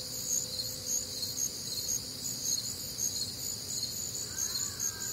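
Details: Cricket chorus on a warm, humid summer night in the Midwest: continuous high pulsing trills in layered bands, with a brief faint rising sound near the end.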